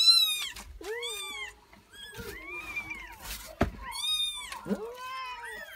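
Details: Newborn kittens of a Persian cat, a litter of four, indoors: high, thin mews with arching pitch, repeated several times in quick succession over a few seconds, one sharp knock midway.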